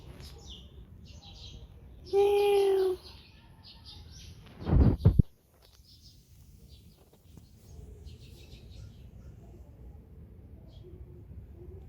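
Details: Neighbourhood stray cat filmed in 2019 on a Samsung Galaxy S9+, giving one drawn-out, tonal meow of nearly a second over quiet outdoor ambience, followed by a sharp knock and faint chirping birds.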